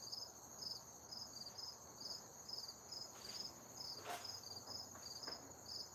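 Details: Outdoor crickets in cool weather giving high, clipped chirps in a quick, slightly uneven series, roughly two per second, above a steady high ringing tone. A brief sharp knock interrupts midway.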